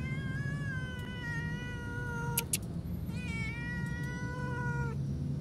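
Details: Beloved pet cat dumped at a roadside far from food, giving two long, clear, evenly held meows that sag slightly at the end, separated by a brief pause and a couple of sharp knocks, over low background hum.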